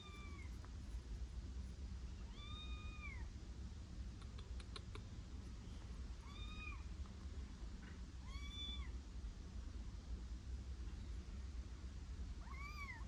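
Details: Kittens sheltering indoors on a rainy day, three of them in the house, meowing repeatedly: short arched mews spaced about two seconds apart, five in all, over a steady low rumble and faint clicks.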